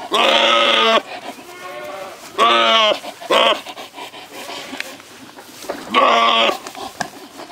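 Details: Male Saanen goats at a farm giving loud, strongly harmonic, wavering bleats, three long ones near one second each and a shorter call between, with soft rustling and faint voices in the pauses.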